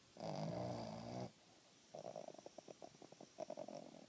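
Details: Boston terrier snoring: a long, droning snore with buzzy low harmonics lasting over a second, then a brief pause and a run of quick, uneven fluttering snorts that rattle on to the end.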